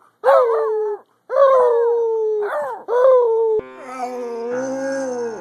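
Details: Basset Hounds howling: three loud, drawn-out mournful howls, each starting high and sliding down to a long steady tone, followed by a steadier sustained harmonic tone that sounds like music.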